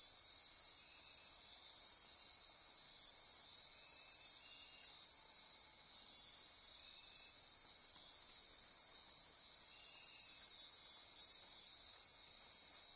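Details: Insect chorus after dark in lush forest near Corcovado National Park, Costa Rica: sustained high buzzing and pulsing trills, with occasional fainter lower chirps rising briefly out of the wall of sound.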